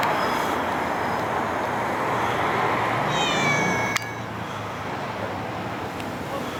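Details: Stray or community cat filmed between summer 2016 and winter 2017: one short, wavering meow midway, set against a steady broadband hiss, with a sharp click just after it.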